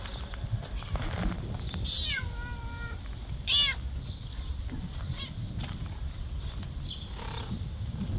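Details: Orange cat meowing loudly: a long falling meow, then a shorter bright one about a second and a half later, with a fainter third at the end, over low background rumble and a distant voice.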